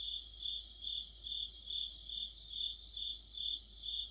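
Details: Autumn crickets and companion insects in chorus, producing a bright continuous high trill overlaid with evenly spaced chirps roughly twice per second, no other sounds intruding.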